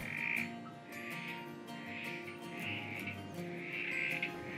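Male Southern Corroboree Frogs give short, grating squelches about once a second as breeding-season mating calls.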